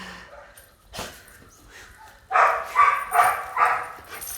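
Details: Red-nose Pit Bull mother with her puppies: after a quiet stretch with a faint click, four sharp, broad barks follow one another about every half second, then fade into a soft background hum.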